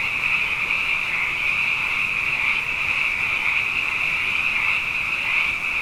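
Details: Many frogs calling together at night following two wet years, an even, high-pitched, buzzing chorus with a fainter lower band, unchanging in intensity from start to finish.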